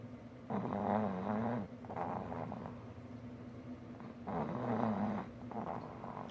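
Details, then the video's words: A four-year-old boy pug, snoring hard while dozing contentedly on a lap during computer work; harsh, vibrating snores in a long bout, a short one, then another long bout, steady low hum beneath. "the pug snores so loud!"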